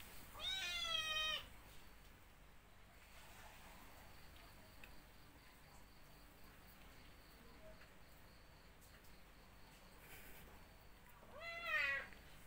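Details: Two drawn-out, harmonic-rich meows from a cat among those suckling from a dog, one opening the stretch and one near its end, separated by a long quiet gap with faint hiss and low voices.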